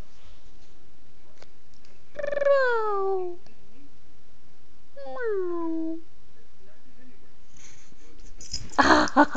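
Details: Two separate falling whines from Bella, a female pet dog, as her owner coaxes and praises her indoors; each cry starts high and slides down, spaced about three seconds apart, with a rustling noise at the end.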